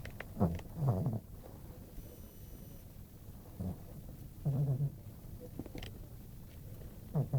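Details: Sleeping female pet dog snoring at home; short, low rumbling snores recurring every second or two, some doubled, between quiet breaths and faint room noise.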